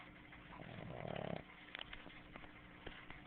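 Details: Loud snoring from Snooki, a sleeping female Boston Terrier: one rattling, pulsed snore just under a second long, followed by faint clicks and soft sniffing breaths.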